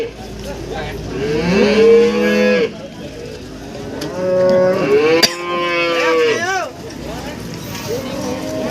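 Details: Cattle at a busy livestock market in Warujayeng, Nganjuk, East Java, offering breeding cows with calves: a run of drawn-out, rising and falling moos from several animals, with one sharp knock midway and crowd murmur behind.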